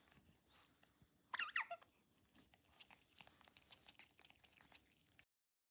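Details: Otter Dan gives a short burst of high, wavering squeaks lasting about half a second. Soft crunching and chewing clicks continue around it indoors.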